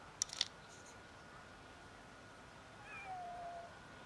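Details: Fluffy kitten living on the street gives a single short meow near the end, a thin tone sliding downward in pitch, after a few sharp clicking hisses at the start, over a steady low background hum.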